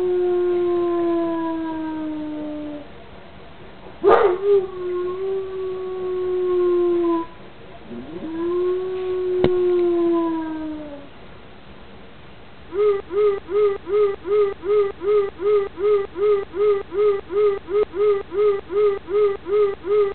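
An Alaskan Malamute gives long, wavering howls, then a fast run of rhythmic, repeated woo-woo yelps.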